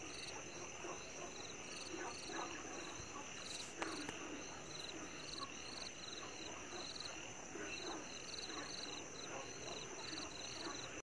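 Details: On the Maokong camphor tree trail, 2 May 2020, a Chinese tree frog repeats short high-pitched pulses in rapid runs throughout, set against a constant shrill insect hum and faint background rustle.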